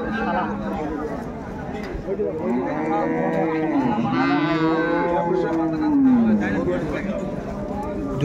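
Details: Milk cows and calves for sale at Ambari market, Bangladesh, 21 May 2024: amid loud crowd talk, a cow lets out a rising then falling moan-like moo lasting about two seconds.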